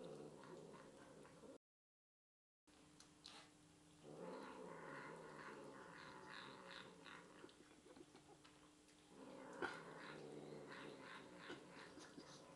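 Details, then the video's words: Pet cat in a small indoor room, talking while eating leftovers; two stretches of drawn-out, harmonic, meow-like murmurs, a brief dropout near the start, and faint clicks from eating. "Cat talking while eating"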